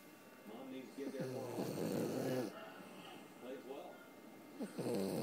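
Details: Wrigley, a pet Puggle, snoring in deep sleep indoors: low, rumbling breaths with buzzy harmonic tones, loudest in a long central snore and again at the end, quieter rasping breaths between.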